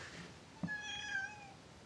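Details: Indoors, Fitz, a domestic cat who has disliked his owner since joining the household, utters one long level meow with strong overtones, preceded by a soft thump.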